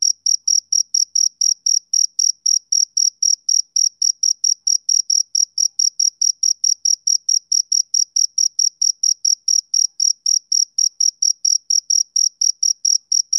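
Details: Steady summer-evening chirping by a male cricket: bright, high pulses spaced roughly two per second, regular and continuous throughout, with a soft overtone and no other sounds.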